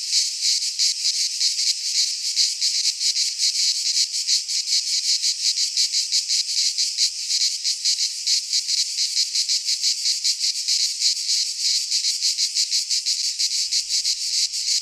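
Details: Greek pine forest cicadas in midsummer, many insects buzzing together in a continuous high, rasping drone with rapid flickering pulses, slightly irregular, a faint low thump near the end.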